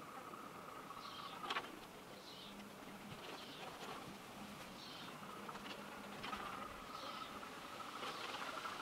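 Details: Leafcutter bee at its nest chambers in old brick-wall holes; a low droning buzz starts and stops, joined by a thin steady tone and soft higher chirps against background hiss.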